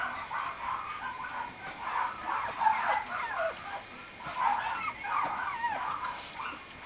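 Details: Male Mame Shiba Inu puppy from the Sesshu Hozanso breeding kennel, dated 17 November, giving high, wavering whimpers and whines with short sliding squeaks, several overlapping, over a low background hiss.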